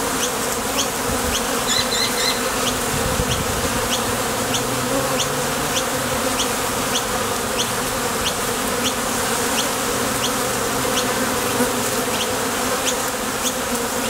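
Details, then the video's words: Honey bees at the entrance of a top bar hive, flying out to forage for nectar and landing back: a dense, steady droning hum of many wingbeats, with faint regular high ticks running through it. "Bees Sound Effects | WHITE NOISE | RUIDO BLANCO RELAJANTE Sonido de las Abejas"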